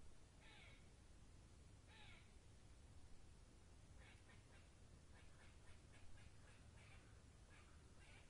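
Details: Two harsh, rasping squirrel calls open the sequence, followed by a long stuttering train of quick chattering notes, heard through steady low forest noise.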